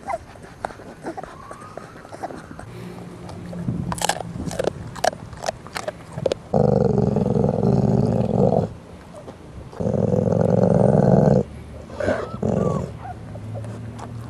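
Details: A 4-week-old litter's mother, an American Staffordshire Terrier (pit bull), growls in deep, rumbling bursts at her puppies while eating a treat, then snaps at them; this is food aggression.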